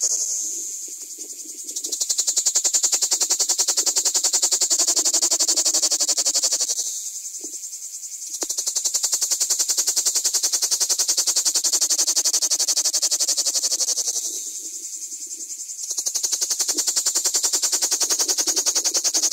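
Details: Common cicadas filmed at close range: a loud, continuous rasping buzz made of rapid regular pulses, easing to a softer rattle twice before swelling back to full strength.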